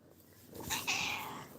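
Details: A domestic cat meows lovingly, asking for fish. One short, high, thin meow holds steady and then fades, after a brief lower chirp-like onset. Faint room hiss sits underneath.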